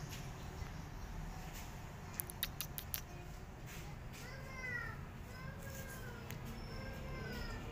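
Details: Kittens left alone, crying for their mother and looking for a nursing mother: several thin, arching mews, rising then falling, follow one another over the last few seconds, with light tapping clicks before them and a steady low background hum.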